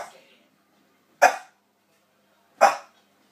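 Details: Domestic dog producing cough-like barks: two isolated, harsh, explosive bursts roughly 1.4 seconds apart, each dying away quickly, with otherwise quiet surroundings.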